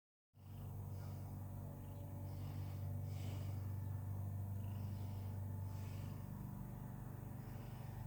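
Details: A 13-year-old female cat enjoying the day and cleaning herself, purring as a steady low rumble that pulses about four times a second, with faint breathy hiss above.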